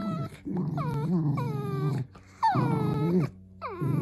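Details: Playful Dachshund growling in deep, buzzy stretches of about two seconds each. High, drawn-out whines rise and then fall over the growls, with brief quiet gaps.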